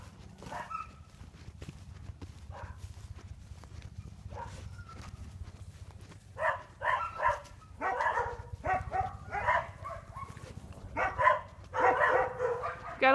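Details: Sheep guard dogs barking from behind a fence while a young herding dog works bulls between the barn, with a Boston terrier also present; loud irregular bursts of harsh barks cluster in the second half, over low rumbling and a man shouting commands.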